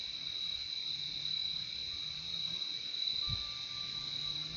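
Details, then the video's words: Crickets chirping in a relaxing nature soundscape: a steady, unbroken high-pitched trill with a fainter lower band beneath, joined midway by a thin, faint mid-pitched tone and soft low rumbling. "Relaxing sound of crickets"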